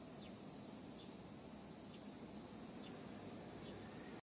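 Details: At sunrise, cicadas in chorus make a steady, high, hissing drone, with faint, short, falling bird notes sounding about once a second behind it.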